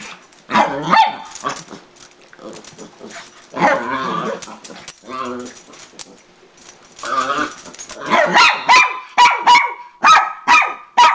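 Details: A female Miniature Pinscher fighting for attention when her owner gets home gives sharp, high yapping barks in quick bursts at her sister, who fights back at the end; a person talks.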